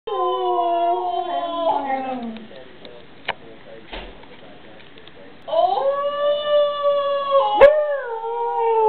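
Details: A Siberian Husky, deliberately provoked into howling, howls in long, rich, wavering tones that slide down, pause, then rise again.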